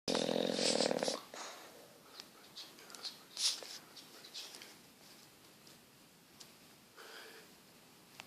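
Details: Petruchio, an English Bulldog, asleep and snoring: one loud, rough, buzzy snore in the first second, then only faint soft breathing sounds and small clicks in a quiet room.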